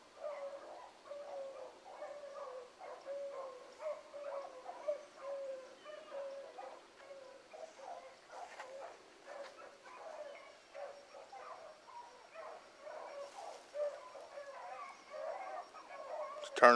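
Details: Young hounds, the Blackcreek pups Ringo, Mingo and Choco with Boone and Dino, running a rabbit on a morning hunt. Many overlapping mid-pitched bays and yelps form a steady, continuous pack chorus from some distance.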